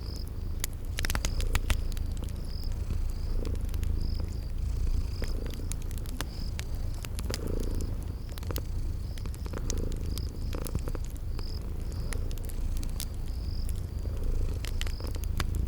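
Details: Deep, even purr of sleeping kitties beside a crackling fireplace; rhythmic soft swells in the rumble, frequent sharp fire pops, and a cricket chirping steadily at a high pitch throughout.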